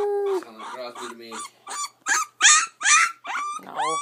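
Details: Ten-day-old puppy giving a brief flat wail, then a run of uneven, squeaky whimpers and sharper cries, each roughly half a second long with short gaps between.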